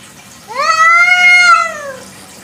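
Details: A free-roaming village cat gives a single long, clear meow at night that rises, holds steady, then slowly drops away, with a quiet background hum.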